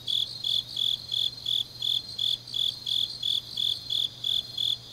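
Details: High, shrill insect chirps from grass insects on a late autumn night in Changnyeong, Korea, repeating in short even bursts close to three each second, with a soft steady hum in the background.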